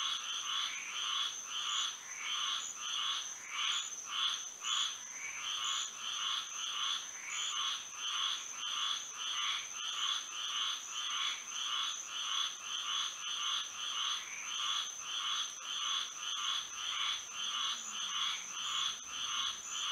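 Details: Frogs singing through a moonlit Florida night, twenty seconds of unbroken chorus: pulsing nasal croaks pulsing rhythmically in swells, many callers overlapping, with a persistent high whine above.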